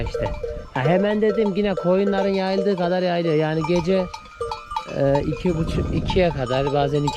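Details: Newly weaned Akkaraman lambs cry for their absent mothers with long, drawn-out bleats lasting up to three seconds, steady and slightly trembling, followed by shorter overlapping calls from other lambs.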